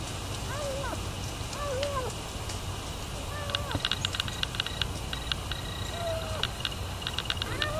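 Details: Feral kitten, led by its mother to a feeding spot, repeats brief downward-curving mews about every second or two, with tapping and clicking sounds and a constant low background hum.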